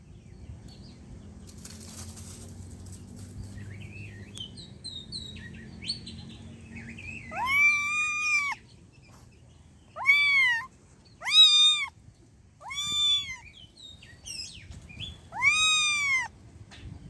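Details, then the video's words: Stray street cat: after faint, scattered chirps, five loud arched meows ring out, each rising then falling, repeated about every one and a half to two seconds against a quiet background. "cat sound effect"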